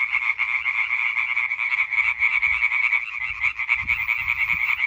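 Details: Massed European tree frogs calling in concert on 20 May 2023, rapid repeated croaks blending into a loud, steady rattling chorus, with soft low thumps in the background toward the end.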